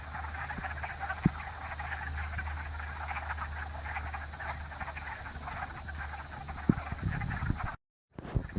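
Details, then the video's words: Pond frog chorus: countless overlapping raspy trills merge into a continuous mid-pitched crackle, broken near the end by a short gap of silence and then some close rustling. "Amazing Frog Chorus"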